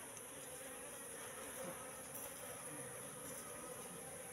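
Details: Asian honey bees, a wild Apis cerana colony settled in a bee trap box for three months, humming together in a continuous, level drone with faint crackles over the buzz.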